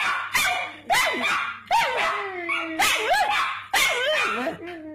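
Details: Pug dog answering its owner's barking as if chatting, five bursts roughly a second apart, each a sharp onset sliding into a whiny, falling tonal yelp.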